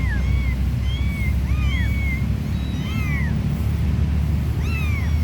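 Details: High-pitched mewing from a stray mama cat and her three small kittens while being played with: short rising-falling cries in quick clusters, then a pause and one more, all over a constant low engine-like drone.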